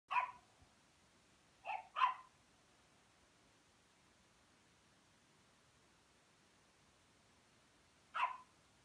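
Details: Rhodesian Ridgeback puppy at play with a Pekingese, giving short, sharp barks: one at the start, a quick pair near two seconds, then a lone bark after a long pause, over a quiet background.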